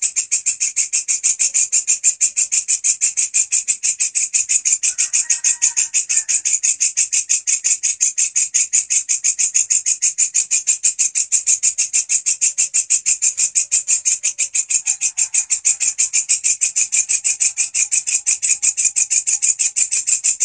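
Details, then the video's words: Lively grasshopper, known locally as walang kecek, used as a master sound for training songbirds, singing a loud, steady, raspy chirping pulse about three times per second with bright high-pitched hiss. A faint soft tone sounds briefly near five seconds. "Belalang gacor volume pedas !! walang kecek si masteran burung kicauan"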